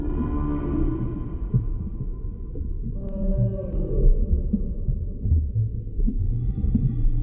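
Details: Underwater recording of a humpback whale: drawn-out harmonic moans open, followed by a short rising whoop and faint clicks, all over a dense rumbling backdrop.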